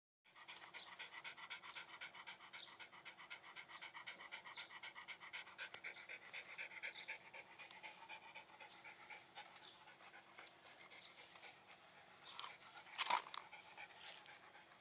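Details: Shiba Inu dog panting heavily: rapid, breathy huffs repeated several times per second across the clip, with a sharper louder burst near the end.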